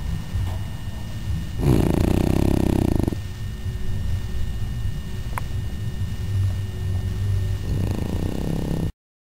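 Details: Cooper, a pet dog, snores while sleeping in his favourite position: a long raspy breath around two seconds in, followed by softer low breathing and a second rough snore near the end, with steady low room hum throughout.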